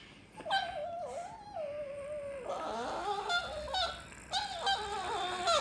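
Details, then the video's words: Chihuahua making funny noises when snorted at, indoors: drawn-out wavering whines and yodel-like moans that bend up and down, several overlapping tones, continuing for the whole stretch with brief breaks. "Funny Chihuahua Noises"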